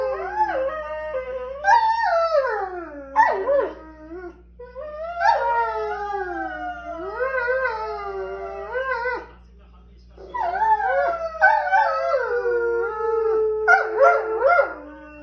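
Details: Vocal Borzoi dogs in a near-continuous run of wavering, sliding howls and whining moans, several voices overlapping and swooping up and down, broken by one short pause before resuming.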